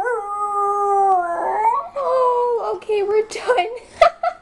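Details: Miniature Schnauzer that habitually howls at city sirens, here answering a played siren recording and carrying on once it ends; a sustained howl turns wavering and broken, ending in short yips, with a person's voice in the background.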